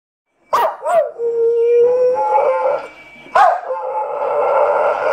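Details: Staffordshire Bull Terrier crossed with a Boxer, a rescued female dog, giving the long "woo woo" howling call she is named for: sharp onsets sliding into sustained, wavering tonal howls, two drawn-out vocal phrases.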